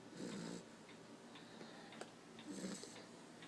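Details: Sleeping black Labrador Retriever pup, exhausted after its day, giving two gentle snores roughly two seconds apart, each pairing a low throaty rasp with airy hiss, with faint soft clicks between breaths.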